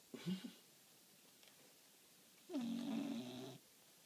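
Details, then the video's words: A sleeping dog snoring loudly indoors: a short raspy snore, a pause of about two seconds, then a longer, steadier, rattling snore lasting about a second, with a low droning tone under the breath noise. "My dog snoring like a grown man"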